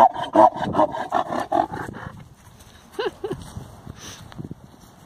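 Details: A high-voiced male mule braying: a fast series of rough, sawing pulses, about two or three per second, tailing off after two seconds into a few fainter, hoarse gasping notes.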